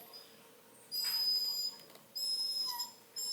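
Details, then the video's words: Whiny Redbone Coonhound pup complaining: sustained high-pitched, whistle-like whines, one lasting nearly a second, then a second longer whine with a dip partway through, and another beginning just before the end, with faint room hiss between. "Whiny Redbone pup"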